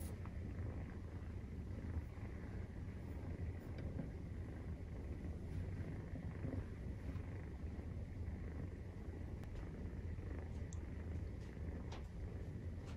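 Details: Maine Coon cat purring during nursing, with kittens 43 days old, indoors: a continuous low, rumbling purr, steady and unbroken throughout, with faint soft clicks and rustles above it.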